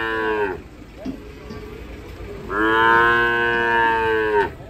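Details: Agitated cattle coming down from a truck: a moo trails off at the start, then after a pause a long, loud, harmonic bellow lasts about two seconds.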